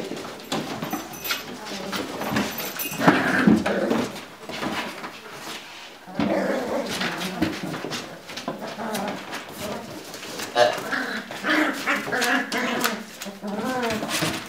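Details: Several Lagotto Romagnolo puppies play-fighting indoors in a puppy pen, giving thin rising whimpers, squeals and low growly grunts in quick uneven bursts over constant scuffling and rustling, with a little human speech.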